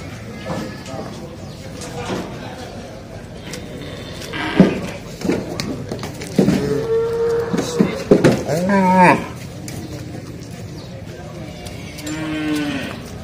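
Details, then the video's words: Cattle being loaded onto an L300 pickup truck; several low harmonic moos, one long drawn-out bellow in the middle, mixed with people talking and knocks and clatter from the truck. "PROSES LOADING SAPI | CARA MENAIKKAN SAPI KE MOBIL PICK UP L300"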